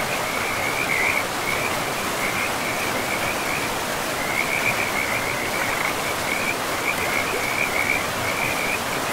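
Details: By a forest river, frogs give clipped, buzzy, pulsed trills in a row of short bursts at a high pitch, pausing around three seconds, then resuming, all above constant broadband water noise.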